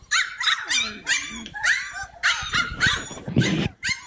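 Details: Playful Cane Corso puppies yipping in quick, uneven bursts of sharp high yelps, some with a whining downward slide, roughly two calls per second, with soft scuffling beneath.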